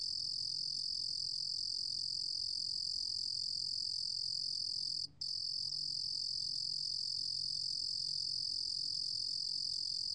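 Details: A Korean cricket recorded in 2020 by the National Institute of Biological Resources gives a continuous, very high, steady trill that runs unbroken apart from one brief drop-out near the middle, over quiet faint low background hum.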